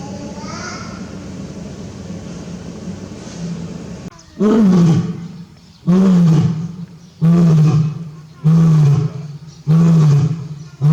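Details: Male lion at Tobe Zoo, Japan, on 5 October 2021, roaring repeatedly as if calling for his absent mate; after a quieter stretch, deep drawn-out roars begin near four seconds and come about every 1.5 seconds, each low and loud.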